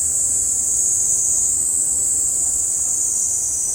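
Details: Cicadas singing in summer, a dense sustained high buzzing shrill that never breaks, even and loud across the whole stretch.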